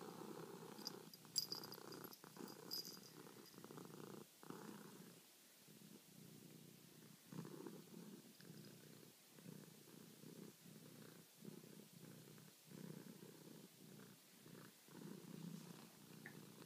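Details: Charlie the domestic cat purrs at night, kneading and wanting to be stroked; rhythmic low purring in regular breath cycles with short gaps roughly every second, a faint higher scratchy sound near the start.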